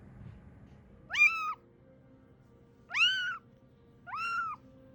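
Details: Ame-chan, a rescued kitten estimated three to seven weeks old, first found in Osaka in 2021, gives three drawn-out, arching meows, each rising then falling, spaced about one and a half seconds apart, over a low background hum.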